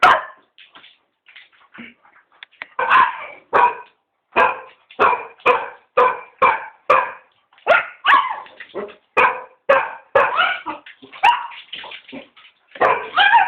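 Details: Cocker spaniels, three dogs, bark while begging to be taken for a walk. A few soft yips open, then a long run of about twenty punchy barks follows at a quick, slightly uneven pace.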